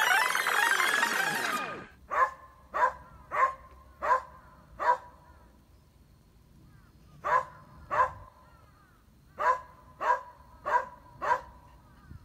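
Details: Gonta, a Beagle kept as a pet on Amami Oshima, playing with a glass sponge he brought from somewhere: a loud burst of music-like noise first, then short sharp barks in quick runs of three or four, with pauses between.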